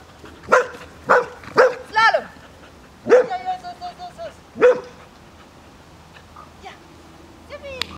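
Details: A one-year-old Bearded Collie in agility training, practising weave-pole entry, gives loud sharp barks: three quick ones, a fourth, then a pause before three more spaced about a second apart, with faint background voices.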